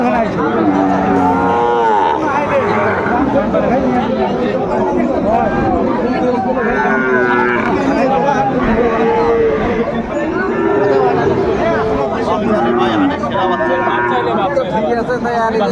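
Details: Sahiwal bull calves offered for sale at a market in Comilla, Bangladesh, on 6 July 2024; several overlapping drawn-out moos rise and fall throughout, mixed with constant chatter and bargaining voices of a busy crowd.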